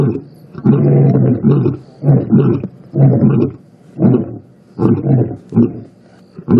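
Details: At sunset in the bush after rain, lions roar: a series of deep, throaty grunts, about one every second, each a short low rumbling burst, with quiet pauses between.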